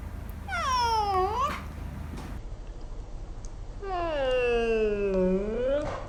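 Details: Pet domestic cat yawning indoors, mouth wide open showing teeth and tongue, whiskers moving: two drawn-out harmonic mewing yawns, the first short and dipping then rising, the second longer, sagging low before lifting at the end; quiet room hum beneath.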